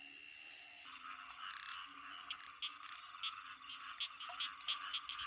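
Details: Banded bullfrogs calling on a rainy night in Isan, Thailand, a busy chorus of quick pulsed croaks overlapping, with sharp clicks repeated through the clip and a steady background drone.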